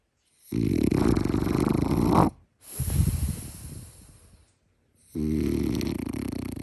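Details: A chubby French Bulldog snoring loudly, with three long, rasping, rattling snores lasting one and a half to two seconds each, split by short silent pauses. The breaths are deep and low, and the middle snore fades out gradually.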